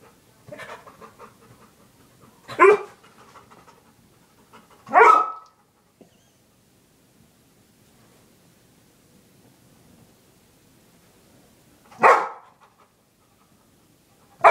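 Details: Dog barking at a toy indoors: four short, loud, harsh barks spaced irregularly over about fifteen seconds, with faint panting-like breathing and quiet gaps between them.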